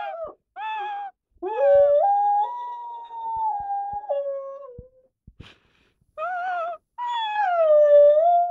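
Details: A year-old Rottweiler singing one morning: short howled notes lead into a long drawn-out howl that steps up in pitch, holds, then sags away, followed after a pause by two more sustained, slowly falling howls.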